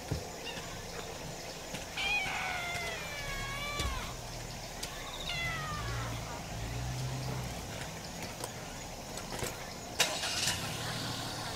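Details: A very vocal stray brown tabby kitten comes out to greet while its heat-tired calico mother is cared for on a 35°C day in August 2018. It gives two clear, wavering, high meows in quick succession, with faint background noise.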